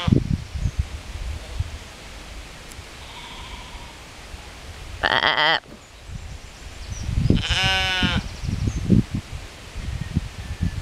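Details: Dutch sheep in a meadow, resting in shade beside a ditch at a museum garden in Hardinxveld-Giessendam, Alblasserwaard, Netherlands, calling back while being spoken to: two wavering, quavering bleats several seconds apart over steady wind rumble.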